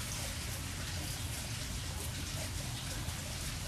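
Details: Dense hiss like steady rain fills the recording, with a low rumble and no animal voice.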